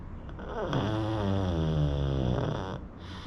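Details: A sleeping pug snoring: one long drawn-out rasping snore with low, wavering buzzy tones that swell and fade over about two seconds, heard indoors.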